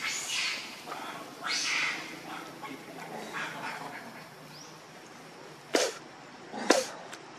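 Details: Hungry baby monkey named Leo crying and begging its mother for milk: harsh, high-pitched wailing bursts, each about half a second, repeated roughly every second and a half, then two sharp short cries near the end.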